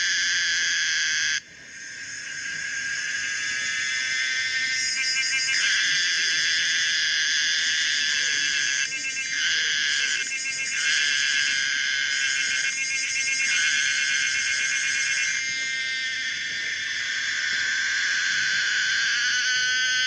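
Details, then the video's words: Common cicada Pomponia linearis in full song, a loud metallic drone broken by several brief switches into pulsed, stuttering phrases, opening with a short gap before the buzz resumes. "the weird sound of the common cicada pomponia linearis"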